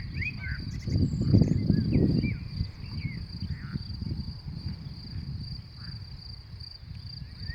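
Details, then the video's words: May meadow grasshoppers give a continuous high, even buzzing trill that runs the whole time, while birds chirp briefly here and there and gusts of wind rumble loudly near the start. "мне кажется раньше кузнечики начинали не в мае стрекотать"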